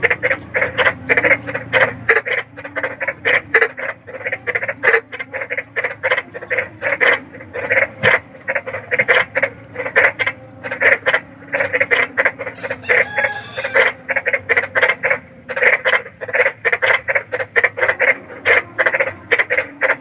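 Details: Large frog calling at night, a sound offered as sleep therapy for fussy children: rapid, steady train of short harsh croaks, roughly three to four per second, with brief pauses, over a faint low hum.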